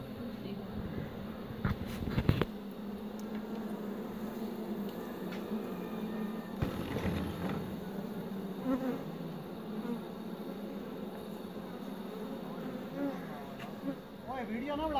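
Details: Honey bees at a hive crowd the air with a steady, low droning hum of many wings at once; Western honey bee (Apis mellifera), buzzing.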